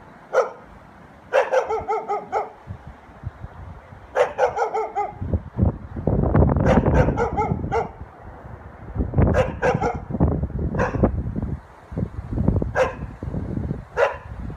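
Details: Dog barking naturally in its surroundings: single sharp barks and quick clusters of two to four barks, spaced irregularly across the stretch, over a steady low rumbling background noise.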